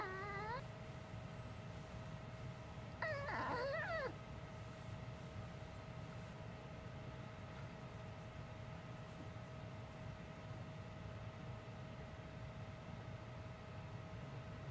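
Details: ['Pet dog Uni, known since puppyhood for a human-sounding voice rather than barking, makes a brief falling whine at the start, then a longer warbling, talk-like cry around the third second, followed by quiet indoor hum.']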